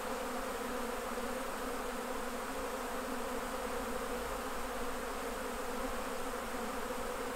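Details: Continuous buzz of honey bees around hives as honey is taken off for jarring, a dense, level drone holding steady for the whole stretch with no breaks.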